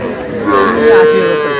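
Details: Short, loud moo from a Sahiwal bull calf at a Bangladesh cattle market where a Barisal farmer buys, steady harmonic tone with light crowd noise behind.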